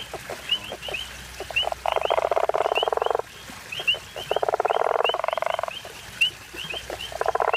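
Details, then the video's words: African common toad (guttural toad) recorded on safari near Hazyview: rasping, rapidly pulsed snores lasting one to one and a half seconds, separated by short gaps, over bright repeated chirping insects or birds. "Funny sounds of the African common toad or guttural toad (Amietophrynus gutturalis)"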